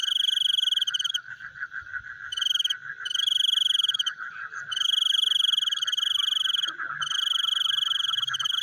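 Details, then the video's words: Frogs calling at night: a dense, fast pulsing chorus in the mid range runs throughout, overlaid by loud, steady, high ringing trills that stop and start every second or two, like crickets. "The Sound of Frogs Chewing in the Night"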